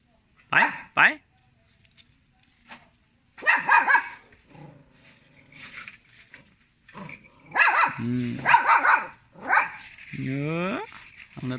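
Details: A little pet dog barks at people: a quick double bark, then loud harsh barks in a burst later on, with a person speaking in the background.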